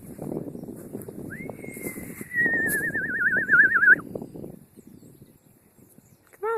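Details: A female horse, prompted by her owner, whinnies: a high squealing note that slides down into a shaky, quavering tremolo.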